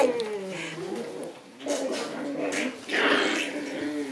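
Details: Shiba Inu puppies, grown more active, playing indoors in their small room: a drawn-out, falling whine opens, followed by lower moaning, growl-like tones amid soft thumps and rustling.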